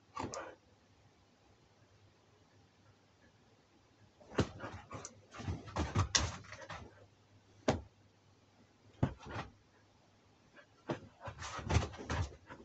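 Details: Siberian Husky in an early-morning struggle at five a.m., indoors in a small room; short broadband whimpers and yips come in bursts after four seconds of near quiet, with a low steady hum underneath.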